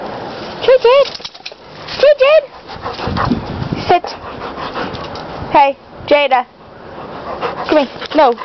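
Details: Pet dog Jade, a hyper and playful female, gives short high whining yips in pairs and quick bursts, some rising then falling, scattered across the stretch while people talk over her and give commands like sit and down.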